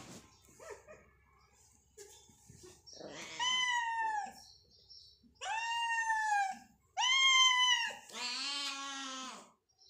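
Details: Hungry cats competing for food; after quiet shuffling, three clear descending meows a second or two apart, then a longer, harsher wail at the end.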